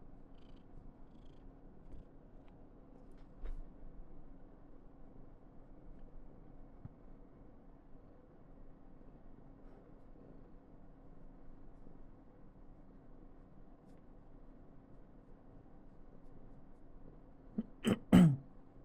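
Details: Soft, quiet purring from Karen, a female Somali cat, being affectionate indoors. A faint low rumble runs through most of the clip, then a short, loud, clear chirp-like vocal burst comes near the end.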